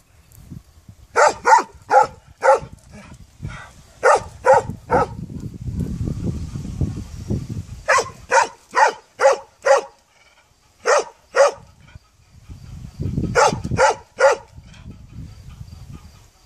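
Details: Dog barks in rapid clusters of three to five, separated by stretches of low rumbling background noise, the barking resuming several times.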